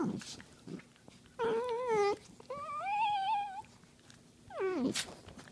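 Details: Dachshund wrestling on a couch indoors, giving drawn-out tonal whining vocalizations: a wavering moan near two seconds, a rising-then-level cry lasting about a second, and a short falling yelp at the end, with soft rustling between.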